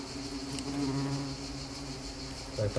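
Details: Asian hornets in flight during a small attack in Nîmes give a steady, low, droning wing buzz with a faint hiss behind it.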